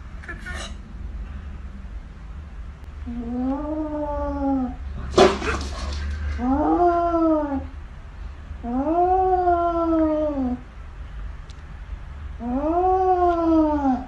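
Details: Cat from a funny pet compilation giving four long, drawn-out meows, each rising slightly then falling, spaced about three seconds apart, with a sharp knock or clatter between the first two and a steady low hum underneath.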